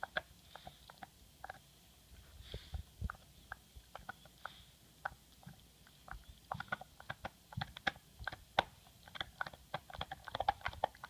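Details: MOTO, an English Bulldog, gnawing on his bone: dense runs of soft crunches and clicks, quickening toward the end, with faint low thumps and a quiet indoor background.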